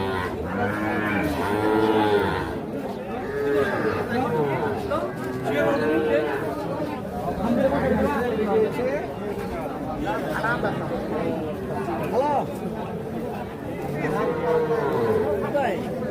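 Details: Calves among the busy Ambari cattle market crowd on 28/3/25. Short moos overlap again and again from several animals, under steady human chatter and bargaining voices.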